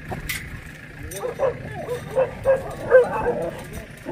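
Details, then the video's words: Jindo dog met on Jindo in Korea, giving short, high yips in a loose series of four or five over about two seconds, with people talking alongside. "진도에서 만난 진돗개/ korea jindodog"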